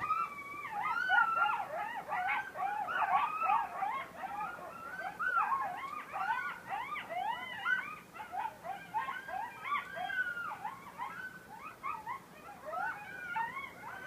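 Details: Several coyotes howl and yip together in a wavering, overlapping chorus in a beachfront forest on Sullivan's Island, South Carolina; Coyote.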